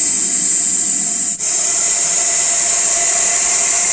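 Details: Russell's viper, or chandraboda, called very dangerous, after being caught in a net: a loud, continuous, breathy hiss with one brief pause before it resumes just as strongly.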